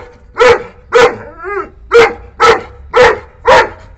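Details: Nine-month-old Saint Bernard puppy barking angrily on spotting a wild cat that visits, driving her away from its boundary: six loud, deep, harsh barks roughly every half second, with a short tonal whine between the second and third.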